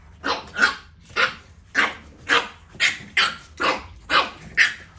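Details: Two French Bulldog puppies playing, giving short, breathy, yapping barks in a steady series about twice a second.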